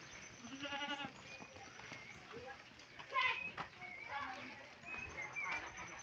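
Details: Domestic goats kept by their owner, who is bringing them cut fodder: one wavering, nasal bleat near the start, then people talking and general farmyard background noise.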